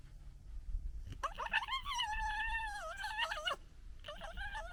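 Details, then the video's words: Local red fox family in disagreement: after a short click, one loud, drawn-out, quavering whine with rich harmonics wobbles up and down for over two seconds, followed by a shorter wavering cry. "Fox Funny Noises Compilation"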